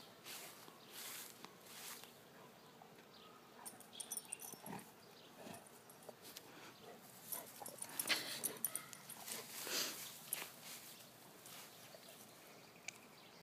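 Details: A backyard romp by Sid, a rescued male golden basset (golden retriever crossed with basset hound): irregular breathy snorts and rough bursts, about one every two seconds, growing dense and loud toward the middle before tapering off.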